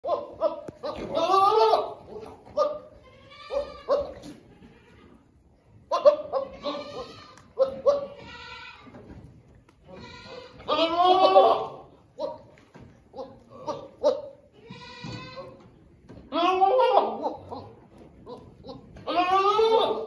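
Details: Boer bucks penned on a mid Missouri commercial meat goat farm, big ones bullying small ones, let out loud wavering bleats again and again, some long and quavering, mixed with a woman talking and background music.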